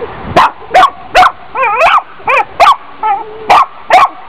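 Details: Dog barking steadily, about ten sharp barks with a few wobbling, yelping tones in between, spaced under half a second apart against low constant background noise.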